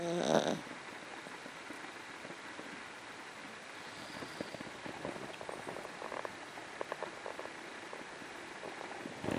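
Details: MuMu, a female dog, snoring softly while asleep after a long day of play; faint raspy breathing pulses repeat under steady room hiss, with a short louder rustle at the very start.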